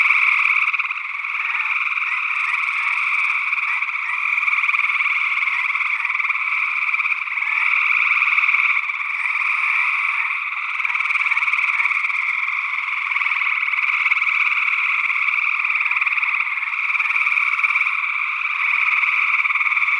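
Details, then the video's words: A long stretch of gray tree frog chorus from Northwest Wisconsin, early June 2022, recorded with a matched pair of small condensers in ORTF configuration. Dense, pulsing trills overlap without pause, and an unidentified second frog, possibly a spring peeper, adds to the mix. "Gray Tree Frog Calls"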